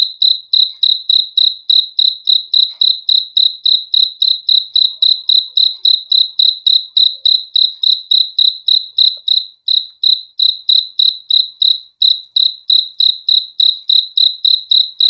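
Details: Continuous cricket chirping, rapid high-pitched pulses about three and a half per second, very regular and unbroken throughout, nothing else audible.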